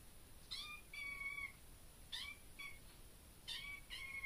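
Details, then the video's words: Kitten indoors in a bedroom, perhaps meowing at a bug in the room: high, thin harmonic meows in short pairs, about five calls spread over four seconds, with a quiet room hiss behind. "Baby kitten meows"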